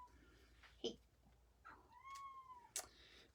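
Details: A pet domestic cat meowing indoors during a live crafting session at home: one drawn-out, slightly falling meow about a second long, with faint clicks and taps before and after.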